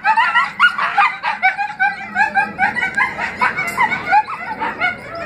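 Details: Four rescued coyotes howl in a morning chorus, a jumble of high yips, wavering howls and broken, laughing barks.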